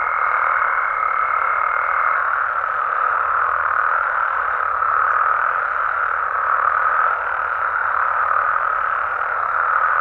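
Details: Dense nocturnal chorus of frogs and toads in Mexico, a steady droning trill of many callers, with a thin pure tone fading out after two seconds.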